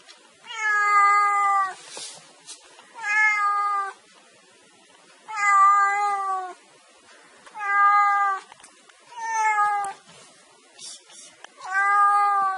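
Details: Domestic cat meowing, presented as a sound to chase mice: six drawn-out, harmonic meows of about a second each, spaced roughly every two seconds, steady and clear over a quiet background.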